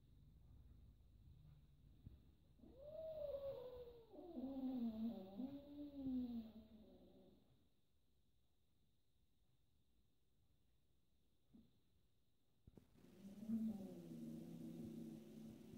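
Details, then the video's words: Domestic kitten meowing while annoyed by another cat in a house with four cats playing together; two drawn-out, wavering meows between about 2.5 and 7 seconds, a quiet gap, then a further long low meow near the end. "The kitten meows misunderstood"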